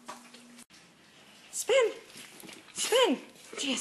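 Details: Pet dog, either Gia the cane corso or Deuce the bullmastiff, at home during trick training: two short, tonal, arched barks roughly 1.3 seconds apart, between a person's spoken commands to spin.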